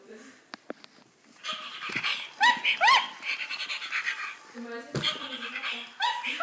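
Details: A dog gives several high, rising whines in quick succession, each with bright stacked overtones, among a child's speech and heavy breathing.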